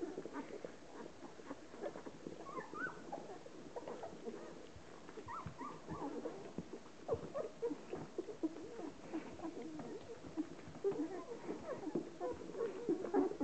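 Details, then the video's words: Hovawart bitch named Relax washing her litter of 13 puppies, 10 days old; busy overlapping high squeaks and whimpers from the newborn puppies, with soft licking and rustling throughout. "Hovawart bitch Relax washing her 10 days old puppies"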